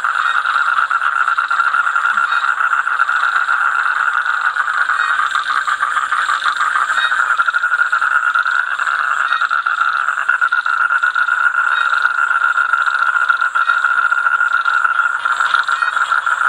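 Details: Toads calling in a dense, unbroken chorus of fast pulsed trills, steady and loud throughout, with a thin constant high hiss above.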